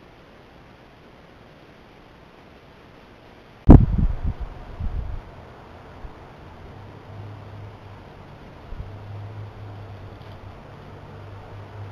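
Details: A steady low background hiss is broken by one sharp knock with a few dull thumps after it, then a faint low hum, with no animal voice.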